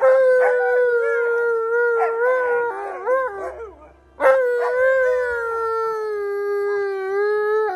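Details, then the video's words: Pet Alaskan Malamute named Tonka howling after a howling lesson: a long, steady, mid-pitched howl broken by short warbling wobbles. It fades briefly near the middle, then restarts with a second sustained howl that slowly drops in pitch. "Malamute Refuses To Look At Me After My Howling Lesson!"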